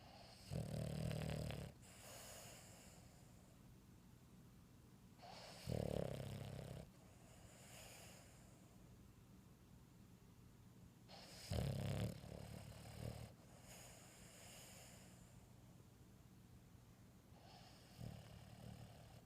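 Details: A female Boston Terrier snores loudly like a grown man while asleep, each deep rumbling breath coming roughly every six seconds.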